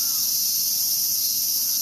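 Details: Many cicadas droning along a path in Ueno Park, Tokyo, Japan: a constant, dense, shrill hiss with no breaks.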